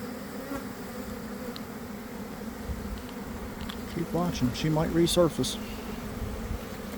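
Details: Developing honey bee swarm in a garden, early afternoon after a cold, damp spell. A constant low hum for four seconds, then a cluster of loud swooping buzzes as bees fly close, fading back to the drone.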